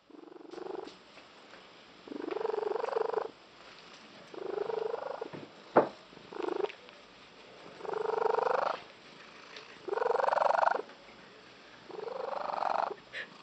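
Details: Bella, a female cat, gives an unusual voiced purr owners liken to a tree frog, loud rising bursts about every two seconds, growing intense.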